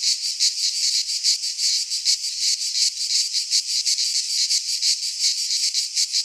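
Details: Greek cicadas in a midsummer pine forest produce a continuous piercing buzz that swells and fades in fast rhythmic pulses, around three each second, without other background sounds.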